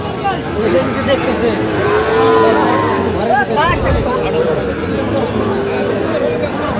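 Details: Sahiwal bull calf at a busy cattle market in Nawabganj, Dinajpur, Bangladesh; a low, smooth moo partly buried under bargaining voices and market crowd noise.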